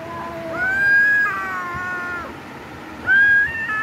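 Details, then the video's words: Domestic cats in a fight, a high shrill yowl rising abruptly and held, stepping down into a lower drawn-out wail, then another sharp rising yowl at the end. "cat video #CAT #meow Mini fighting video"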